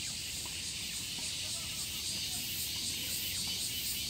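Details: Evening cicada in Japan: a shrill, high-pitched pulsing drone, beating in a fast, steady series of throbs throughout, with a soft low rumble underneath.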